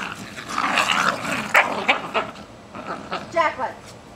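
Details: A tug-of-war game between Jack Russell Terriers Jasper and Jaclyn, just over one year old, in a back yard in Lenexa, Kansas, 14 July 2008; loud snarling growls in choppy bursts, with a person talking over them.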